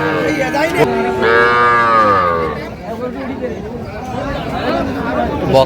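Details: At a Pabna, Bangladesh cattle market selling small bull and heifer calves of about two and a half to three months, one calf gives a single long, rich moo lasting about a second, then fades under crowd chatter and nearby voices.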